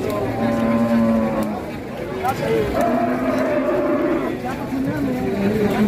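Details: Fat cow rampaging and then collapsing at a market, crowd panicking while several people shout to get it up; long, low drawn-out moos with a slight wavering pitch, mixed with loud voices and crowd noise.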